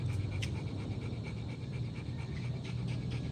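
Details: Rottweiler dog panting steadily, a dense low breathy rhythm running without a break for the whole stretch, with a faint thin tone and a few soft clicks above it.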